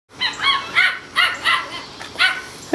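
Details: Four seven-week-old male Toy Schnauzer puppies romping and playing outside; high, sharp yappy barks repeat in bursts about every half second, with a brief pause before a final yip.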